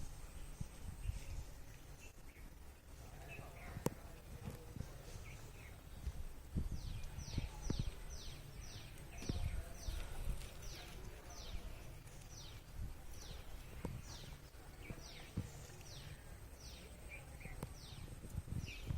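A squirrel gives rapid, sharp chirps that drop in pitch, repeated in a steady series over low rumbling noise.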